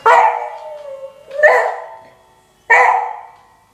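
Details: A 9-year-old beagle, annoyed by the doorbell, gives a rough, raspy howl that the owner says has grown rougher with age: three hoarse, drawn-out cries, each starting loud and sliding down as it fades.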